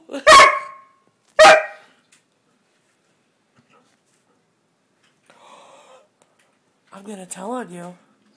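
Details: Siberian Husky complaining indoors at not being allowed on the bed: two loud, harsh bark-like vocal bursts about a second apart, then a faint murmur and a person's voice near the end.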